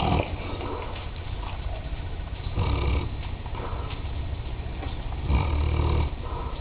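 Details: A sleeping female Mastiff snoring heavily: deep, rough, low rumbling breaths that swell in loudness about every two to three seconds, with a steady grainy background.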